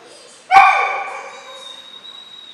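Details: A single abrupt, ringing bark from one of two 12-week-old German Shorthaired Pointer puppies, Memphis and Patty, during backing-point training at Mabe Kennels, fading out over a second against a steady faint high tone.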